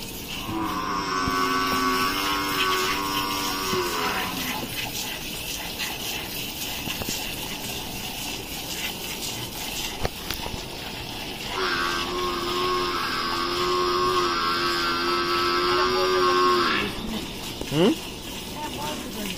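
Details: Gir cow during milking in Rajasthan, India, lowing twice: a long, level, tonal moo of about four seconds, a pause filled with room noise, then a second moo of about five seconds ending in a short downward slide.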